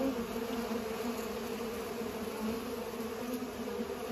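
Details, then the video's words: Bees busy pollinating give off an even, sustained hum, a dense buzzing drone that holds steady with slight swells in loudness. "Bees are pollinating"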